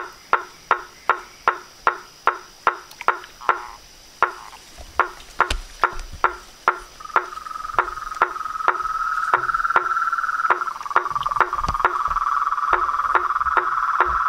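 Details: Frogs, toads and tree frogs calling together: loud, evenly spaced hollow knocks, roughly two or three each second, then a continuous ringing trill rising beneath the knocks through the second half.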